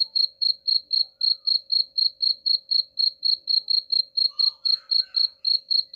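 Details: A cricket keeps up rapid, regular high chirps of about four pulses per second, used as a sound to scare off rats; toward the end a few faint lower chirruping notes appear beneath it.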